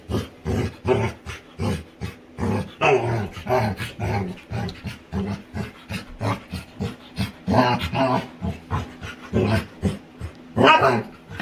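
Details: Female Labrador retriever playing with her owner indoors, making funny sounds: a steady run of short, low grumbling growls and huffs, repeated about twice a second throughout, with brief whimper-like rises.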